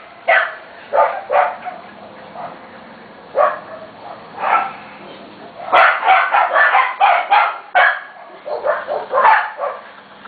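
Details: Corgi puppies from two litters, almost seven weeks old, in a busy home: a run of high, sharp yips and barks in uneven bursts, several overlapping near the end.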